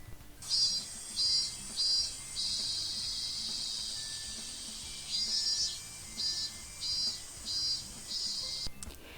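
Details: A cicada's loud, high buzzing drone in summer, swelling in pulses every half second or so.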